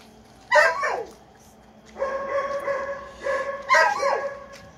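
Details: Dobermann from a breeder's L and M litters. Two sharp yelping cries open and close the recording, with a steady, high, drawn-out whine between them lasting over a second.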